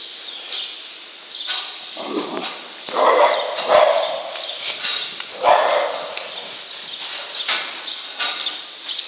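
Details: Lhasa Apso named Jacky working on a farm, driving cows out of the feeding rail and barn on its own; a few sharp barks scattered over a steady hiss of barn noise.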